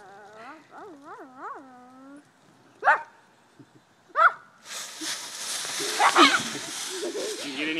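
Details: Chesty, an English bulldog, playing in a pile of raked leaves; a series of wavering high whining yelps, then two sharp barks, followed by loud rustling and crunching of leaves with a voice near the end.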